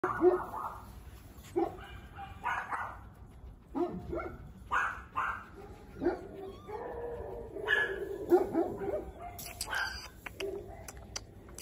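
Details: Female Giant Schnauzer puppy, a breed noted as a guard dog, giving short repeated barks and yips about once a second, with human voices talking alongside.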